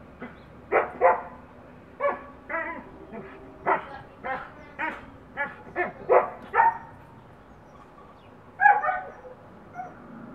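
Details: Playful Husky barking at a neighbour's dog across a backyard fence they have been digging under: a steady series of bright, sharp barks and yips roughly every half second, a short pause, then two more louder yelping barks.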